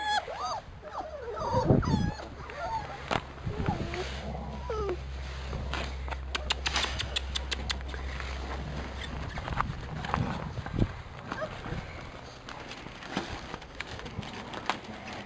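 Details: Labrador Retriever puppies of a B litter dashing through frost outdoors; high, wavering whimpers in the first two seconds and again near four seconds, amid rustling, thumping steps and scattered clicks.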